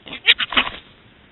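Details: Large male wild boar feeding at night on a cow carcass several days old, interacting with a smaller male and a fox it keeps at bay, August 2018, Serra do Suído, Galicia; three short harsh squealing bursts in under a second.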